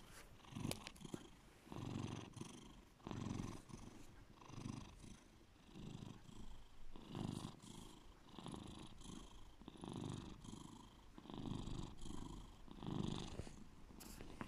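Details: Bear, a pet cat, purring deeply: a low rumbling purr in rhythmic pulses of about one to two seconds, swelling and fading with each breath, with a few faint clicks and rustles.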